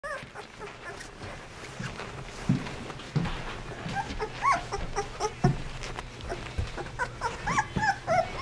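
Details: 16-day-old Basset Hound puppies among their littermates give high, thin whimpers and squeaks in short, wavering bursts; Basset Hound.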